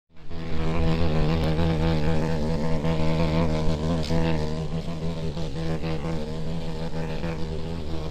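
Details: May beetle in the forest, its beating wings giving a loud, steady, low droning buzz with rich stacked harmonics. The pitch wavers slightly throughout the flight. The buzz begins abruptly after a brief silence.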